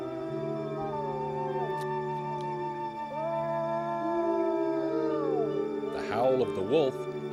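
Several long, smooth wolf howls overlap, each holding steady then sliding down or up in pitch, over a sustained musical drone, with wavering yips near the end.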